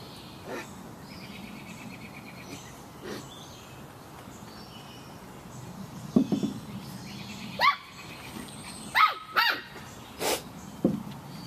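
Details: Samoyed puppies at play give short, sharp yips and barks clustered in the second half, several in quick succession, after a quieter opening with a low background hum.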